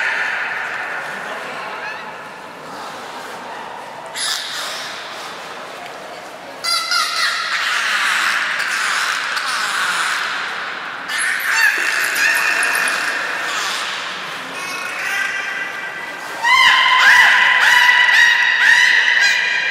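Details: Belugas Nana and Niko during a training session at Port of Nagoya Public Aquarium, Japan, 7 October 2018: quiet at first, then long harmonic, whistle-like tones that shift in pitch, with a brighter squealing burst near the end.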